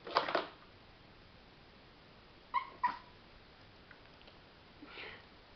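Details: Sparky, a pet dog angry at a cat toy, gives short sharp barks: one at the start, a quick pair midway and a softer one near the end, with quiet pauses between them indoors.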